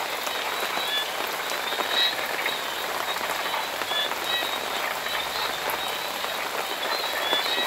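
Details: Rain frog calling in the rain: brief, thin, high chirps come at irregular intervals, barely rising above a dense, steady hiss of heavy rainfall on surfaces that fills the whole recording.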